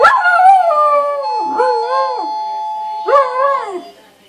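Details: Pet dog singing along with the doorbell as it always did; wavering, sliding howls in three phrases, pitch bending up and down within each, the last fading out near the end.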